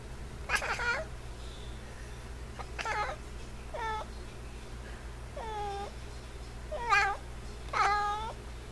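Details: F6 Savannah cat kept indoors as a pet, giving a series of six short harmonic meows, some rising then falling, spaced about one to two seconds apart, with a low steady room hum and a woman's quiet speech.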